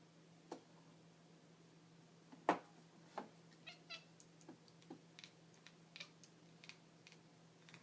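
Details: Female pet cat indoors, excited by light reflections or laser light on walls, giving short, sharp clicking chatter sounds scattered irregularly, one louder burst in the middle, over a steady low electrical hum in a quiet room.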